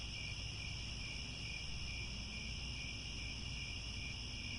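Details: Grassland crickets near Angkor Wat, Cambodia, chirping at sunset as one steady, piercing buzz-trill across several high pitches, accompanied by persistent low-frequency rumble.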